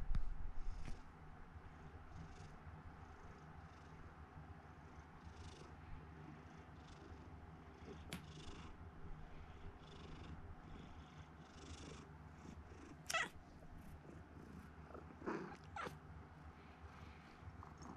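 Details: Domestic house cat, rescued as a kitten when its eyes had not yet opened and now seeing only a little with one eye, purring at home: a steady, low, throbbing rumble running throughout, with a few brief sharp clicks or taps near the end.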